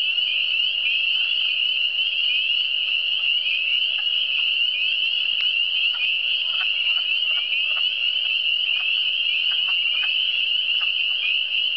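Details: Eastern Townships frogs in full chorus, a constant shrill, buzzing trill from numerous callers layered together, with faint clicking and knocking sounds dotted underneath throughout.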